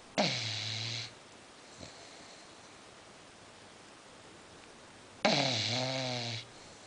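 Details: A female English Bulldog snoring while asleep indoors: two loud, rasping, droning snores with falling, tonal overtones, about five seconds apart. Each lasts roughly a second, with near-quiet breathing between them.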